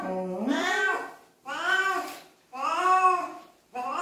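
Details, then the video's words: A cat being bathed indoors gives three drawn-out, wailing meows, each rising then falling and lasting about a second, with short pauses between and a fourth beginning at the end, all in a small echoing room. "냥빨의 날 | 고양이 목욕"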